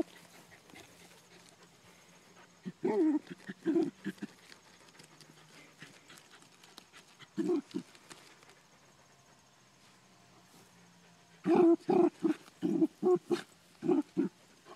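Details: Ammo the Dachshund hunting for groundhogs on a farm gives short, mid-pitched barks in scattered bursts: a pair near the start, another pair midway, then a quick run of five or six barks toward the end, with quiet rustling between.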